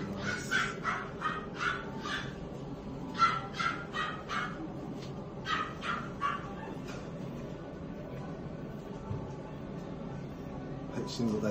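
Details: Female French Bulldog puppy with no nose line, both parents DNA-tested: short sharp yips repeated in quick bursts about twice a second for roughly seven seconds, then quieter, with steady background hum and faint voices.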